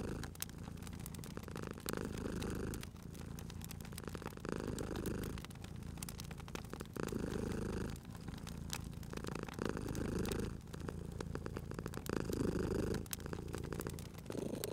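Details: Sleeping domestic cat by a crackling fireplace, producing a continuous deep purr in repeated inhale and exhale cycles of roughly two seconds, while the fire snaps and crackles steadily over it.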